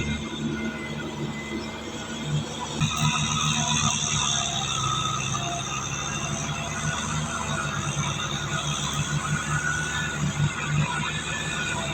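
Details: Only a steady low rumble and hum, like passing machinery or a train, with faint tonal noise above; no animal voice stands out.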